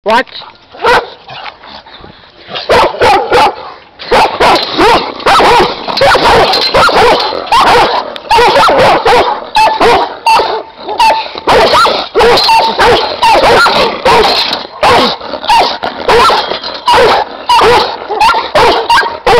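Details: Giant Schnauzer guard dogs bark in a dense, overlapping volley. Quieter sound opens the first two seconds, then loud, rapid barks repeat more than once a second with little pause.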